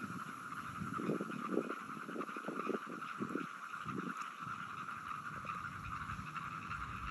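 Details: Frogs recorded on 17 June 2022: bursts of low, rough croaks cluster between one and four seconds, set over a steady higher-pitched chorus hum that runs through the whole recording, fading to just the hum near the end.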